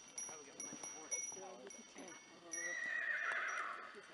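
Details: Male Friesian horse pulling a sleigh through deep snow on a family ranch at New Year; a short whinny with stacked wavering harmonics, with hoof clip-clop, people talking nearby and a rushing hiss of sleigh runners.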